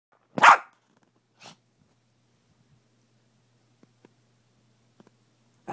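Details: Pet dog barking in the morning: one loud, sharp bark, a softer short bark a second later, then quiet with faint ticks before another bark starts at the end.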